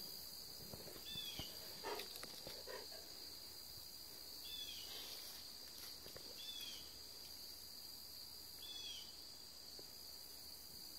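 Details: Steady high-pitched trilling of crickets at 2:40 P.M. on Thursday, September 13th, continuous throughout, broken by several brief chirps from another creature and some soft low rustling.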